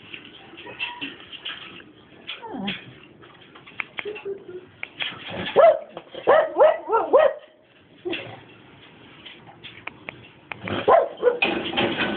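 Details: Dobermann giving a run of sharp, high yelping barks in the middle stretch, bracketed by quieter whines and rustling, with people talking in Filipino nearby.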